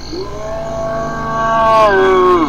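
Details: Hyena calling in one long, drawn-out harmonic note that holds a fairly level pitch, then dips and rises again before falling away at the end.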